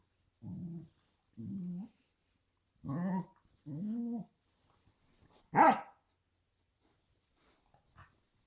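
A corgi gives a series of low, moaning grumbles followed by one sharp, louder bark.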